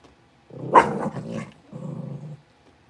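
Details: Blenheim Cavalier King Charles Spaniel puppies from a litter of five, born at New Year and just moved to a bigger pen, give a short rough growling bark followed by a lower, steadier grumbling growl.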